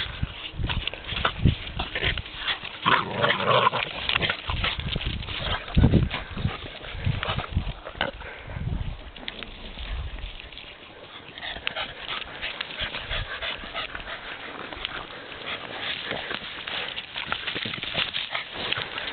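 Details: Boston Terriers, five dogs together at Mont-Cumming near Chibougamau, Quebec; irregular snorting, grunting bursts run throughout, with a brief higher tonal yelp near the start, recorded outdoors with handling noise.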